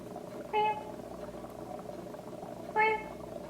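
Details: Kitten being helped to defecate, its rear tapped with warmed wet tissue indoors, gives two short, high, clear mews about two seconds apart over a steady low room hum.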